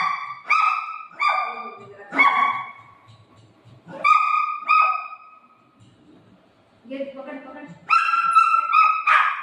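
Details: Playful fight between a golden retriever and a shih tzu puppy playing with mom: a run of short, high, tonal yips and barks, repeated roughly every second, with a woman talking in Marathi in between.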